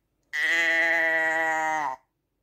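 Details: A single sustained sheep bleat, loud and harmonically rich, held level for about one and a half seconds before breaking off with a small quaver. Nothing else is audible, from a speech-free ASMR sheep recording.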